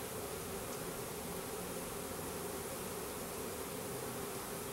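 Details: Package of Russian/Carniolan hybrid honey bees, some 10,000 with a queen, during installation in a new hive in April 2012; continuous, even droning hum with no breaks.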